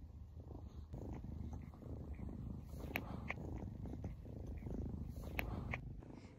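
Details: Young female foster kitten, once scared but now warmed up, purring very loudly while looking at a person and being loved and played with indoors; a steady low rumbling purr with a few faint clicks and soft taps.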